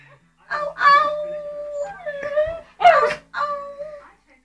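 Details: Buddy, a pet Shih Tzu, fed up with waiting for chicken, jumps up to the table and howls indoors. Several sustained, steady-pitched howls come in bursts with short pauses, and voices are nearby.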